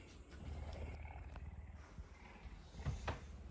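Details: Hungry captive puma purring loudly in the morning while begging its owner for food; a low, pulsing rumble runs throughout, with a few soft clicks and rustles near the end.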